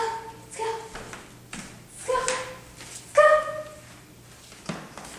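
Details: Female golden retriever named Miley, stubbornly refusing to go on a walk around the block indoors: short, steady, tonal whines, about half a second each, repeated several times over a few seconds, mixed with a person's coaxing voice.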